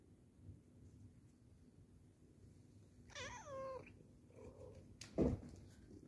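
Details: Male pet cat, worked up while watching snowflakes fly by and unable to catch them, gives one short meow that rises then slides down, a faint softer follow-up, then a sharp thump; quiet room hum throughout.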